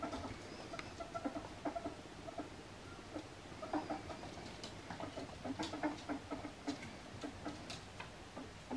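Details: Male albino ferret (Mustela putorius furo) playing with slippers and making noises; soft, rapid, clucking chuckles in irregular bursts, with scuffling and patter from the play.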